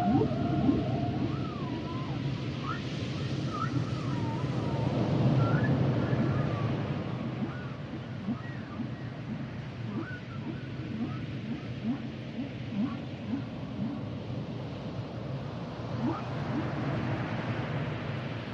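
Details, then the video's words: Humpback whale song underwater: swooping tonal whoops and wavering whistles between mid and high pitch over a constant low rumbling wash, with scattered short upsweeps. "Sounds and Songs Of The Humpback Whales"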